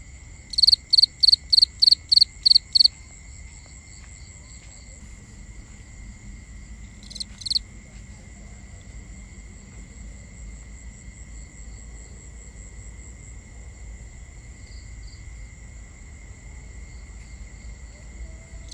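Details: Crickets calling at night, binaural ambience: a rapid run of about eight bright pulsed chirps at the start, a lone softer chirp around seven seconds, then only continuous high insect drones over a low rumble.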